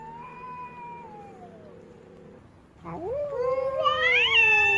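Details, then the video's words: Female cat, unhappy and stamping her feet, first holding a steady drawn-out wail that slowly sinks, then after a brief pause launching a louder, higher rising yowl that wavers at its peak. "เสียงแมวตัวเมีย ร้องโหยหวน กระทืบเท้าไม่พอใจ"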